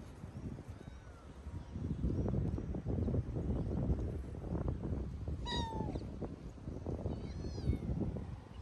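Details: Friendly tabby cat from the streets near a music school, running after someone and wanting longer play; one sharp downward meow cuts through loud rustling and footsteps, with a faint high call afterwards.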